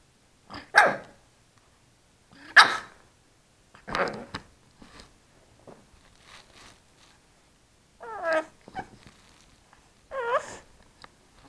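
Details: A 3-month-old pug puppy trying to bark gives a few short, high yaps with squeaky, wavering yelps in between.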